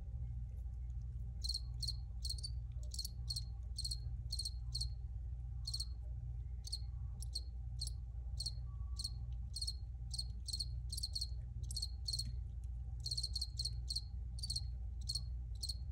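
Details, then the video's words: Crickets give a steady series of sharp, high chirps, roughly two per second, sometimes in quick doubles, continuing through the stretch above a low steady hum. "Cricket Sounds"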